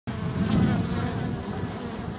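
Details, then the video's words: Honey bee drones buzzing in an oak tree colony in Tampa, Florida, as the colony grows and prepares to swarm with a new queen; a dense, low steady hum filling the whole stretch, recorded close in macro mode. "Drone Honey bees in the tree."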